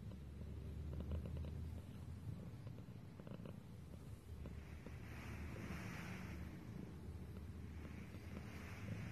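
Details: Cat purring: a low, steady rumbling drone with a faint pulsing texture and a soft hiss rising around the middle.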